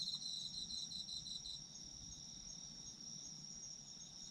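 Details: Autumn insects for sleep listening: rapid pulsed high chirping for the first second and a half, then a steady shrill insect hum continues alone over a quiet low background.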